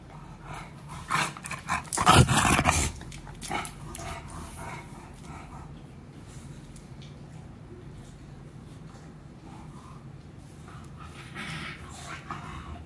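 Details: Meatloaf, a naughty and stubborn English Bulldog puppy, gives a short burst of rough growling near the two-second mark, then settles into soft snuffling and panting indoors with faint rustling.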